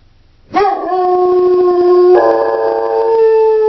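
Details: Howl of a female Doberman left home alone, a long steady tone that jumps upward partway through and then holds, strong and harmonic throughout, with faint low background hum before it begins.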